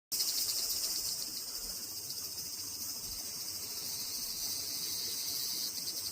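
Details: Large brown cicada singing: a steady, dense sizzling hiss high in pitch that runs unbroken from start to finish with a faint pulsing texture, and no other clear sounds.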